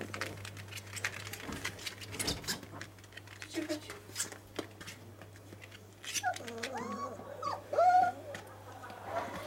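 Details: Dogo Argentino in play. Quiet shuffling and rustling at first, then a burst of bending, wavering whines late in the recording, over a steady low hum.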